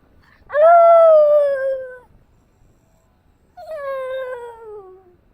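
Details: A black Shiba Inu howling in response to a chime: two long, drawn-out howls, the first about one and a half seconds and sliding slowly downward, a pause, then a second shorter howl falling in pitch, with rich harmonics and a quiet background.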